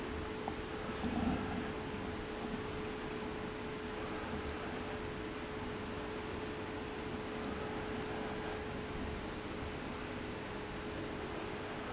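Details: Even fan-like hiss with a constant mid-pitched electrical hum and faint rustles, and no audible drinking or talking from the rescue cats.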